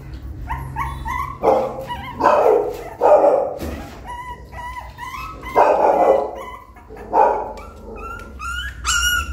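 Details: Puppy climbing a small step toward the nest: short, loud, broad barks roughly every second or two alternate with thin, high whimpers and squeaks, against a low background hum.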